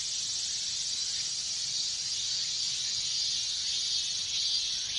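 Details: Minmin cicadas in a Japanese summer chorus during the heat, a dense, steady high-pitched hiss filling the air without a break, many insects calling at once, with faint swells near the end.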